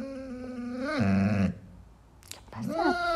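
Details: Vocal Basset Hound asking for hugs, giving a long harmonic moaning howl that rises then drops into a deep groan, followed after a pause by a brief rising whine.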